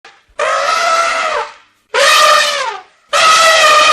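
Elephant trumpeting: three loud, brassy blasts, each lasting about a second, with short pauses between.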